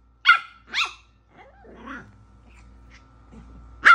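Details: A Yorkshire Terrier puppy barks at the TV on seeing Rocket Raccoon, giving sharp, high yaps with a quieter stretch of background sound between them.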